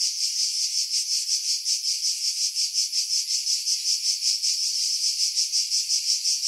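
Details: Cicadas singing in July 2018 among pine trees about 50 m above the sea at Pefkos Bay, Skiros Island, Greece; a loud, continuous high-pitched buzzing with a steady pulsing throb, heavily filtered to remove wind buffeting.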